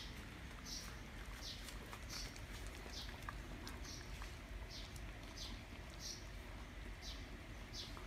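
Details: Siberian huskies Barry, Candy, Cookie and Happy at stick time, three trying to take a treat from one; quiet, steady breathy panting puffs repeat about every 0.6 seconds over a low constant hum.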